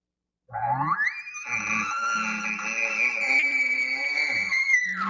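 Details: An elk bull gives a lip-bawl bugle, rising from a low grunt into a long, high, wavering whistle held for several seconds, then dropping; a bull rounding up his cows quickly after hearing a location bugle.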